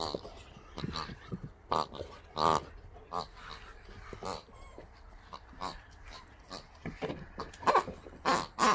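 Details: Boxers Rex and Sammie enjoy the new toys from Rex's birthday, giving pig-like grunts and snuffling bursts, a few with a brief tonal edge, in rapid uneven succession with short pauses between.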